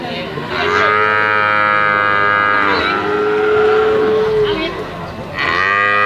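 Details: Limousin cattle calves offered for sale produce continuous overlapping moos, a long sustained bellow with a steady tone, then a lower drawn-out note, and a fresh call breaking in near the end.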